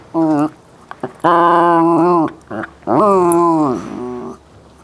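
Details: Westie named Bailey vocalizing during a ball game, a short yelp followed by two long, wavering, moan-like notes that sweep downward at their ends, indoors with little background sound.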